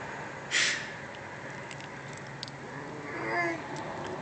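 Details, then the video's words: Cat outside the Playhouse making odd noises while being fed: a sharp, short burst near the start, then a soft, murmuring sound with faint harmonics a few seconds later. Quiet background otherwise. "cat makes funny noises while eating"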